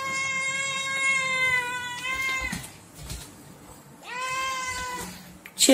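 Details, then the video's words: A kitten begs for food with a long, steady meow that drops at its close, a short pause, then a second rising-falling meow; a faint person's voice and a sharp noise at the very end. "Funny Cat Meow, Cute Kitten Meowing"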